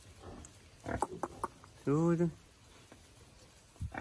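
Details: Young wild boar being released into the wild; a single short harmonic squealing grunt with a slight downward bend, preceded by scattered clicks and rustling, with faint background hiss.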